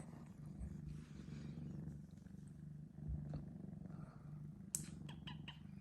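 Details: Three-month-old male Sphynx cat Senna purring after waking from a nap, captured with an iPhone 12 Pro Max; a soft, even, low purr runs the whole time, with a few sharp ticks near the end.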